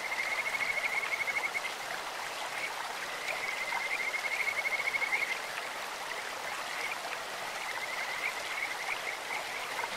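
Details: Stream-dwelling Kajika frogs with a lovely bird-like voice: a long high pulsed trill sustained for several seconds, then shorter bursts, over continuous burbling stream water.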